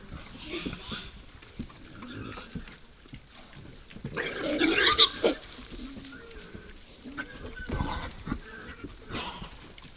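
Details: Wild boars visiting a forest feeder at night give a few faint grunts, then a loud, rough squeal around the middle. Shuffling, knocks and occasional snorts continue at a quieter level.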